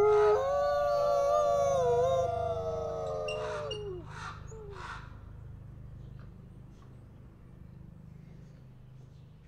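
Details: Two captive-born Canadian/Rocky Mountain gray wolves, a brother and sister at a wolf conservation center in South Salem, New York, howl together in long, overlapping tones that waver and then slide down to an end.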